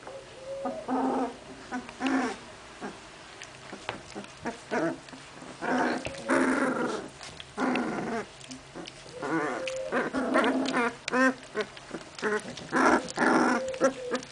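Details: Puppies of Memphis-true Olga and Scarko de la Betoule playing together: bursts of harmonic growling and squealing yips, short whines rising and falling, clustered vocal bouts separated by brief pauses throughout.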